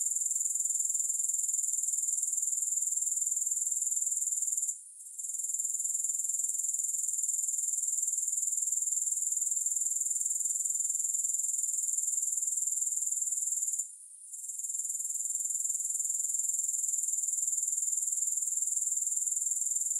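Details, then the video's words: Bright, high continuous chirring from grasshoppers, finely pulsed around four times a second, interrupted twice by a brief quiet gap, otherwise constant and free of music. "Grass Hopper Sounds"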